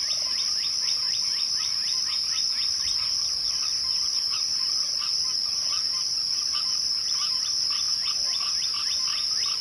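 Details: Evening crickets sustain a bright continuous high trill, layered over rapid rhythmic lower chirps pulsing evenly, pausing briefly midway, then resuming.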